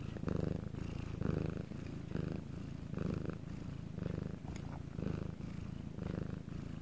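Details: Bangul the cat in Korea, captured at night when all was quiet, gives a deep continuous purr in rhythmic breath pulses a little faster than one per second, alternating louder and softer phases, and no other sounds.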